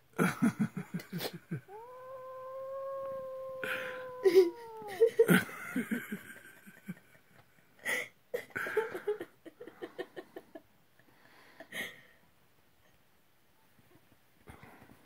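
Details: Domestic cats: five-week-old kittens meeting their father cat for the first time. A drawn-out, steady, moaning yowl holds level for about three seconds. Bursts of human laughter and voices come before and after it.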